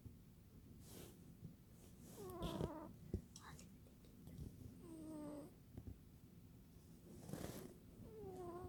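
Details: Sleeping cat snoring softly, low breathy rasps about every two to three seconds, some ending in brief whistled tones, against quiet indoor background hiss.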